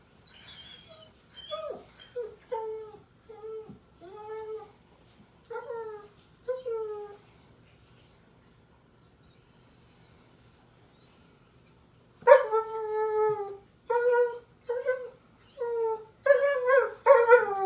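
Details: A German Shepherd puppy cries because it is bedtime, giving repeated short descending whimpers and whines, roughly one every second, a quiet gap in the middle, then louder, more insistent high whines resuming in a rapid series.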